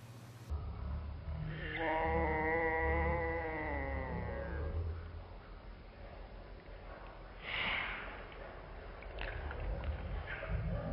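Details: A cat named Jack gives a drawn-out, steady, tonal meow that fades and stretches into a yawn, followed a few seconds later by a breathy exhale, all over a low background rumble.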